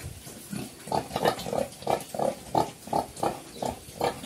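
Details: Black pigs on a Cambodian farm, a mother with her young, known locally as Chrouk Kandorl; steady rhythmic grunting, about three short grunts each second, repeated over a low murmur of background noise.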